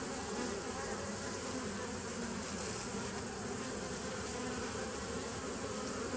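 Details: Bees recorded on 27 September 2018, a steady, dense humming buzz with layered low tones that holds unbroken for the whole stretch, over a broad airy hiss.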